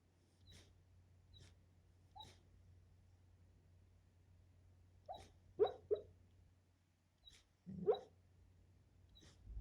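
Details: Sleeping dog named Simone, dreaming of chasing a squirrel; soft muffled woofs and whimpers in short bursts, a few louder yips near the end, over a low steady hum in a quiet room.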